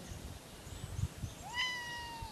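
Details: Cat outdoors on a nature hike gives a single drawn-out meow, slightly falling and tapering off, after a stretch of low rustling and footstep noise.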